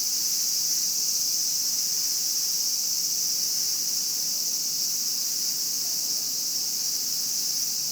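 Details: Japanese cicada in a nature setting: a steady, unbroken high-pitched electric buzz that holds level throughout with a faint, fast pulsing texture and no other clear sounds.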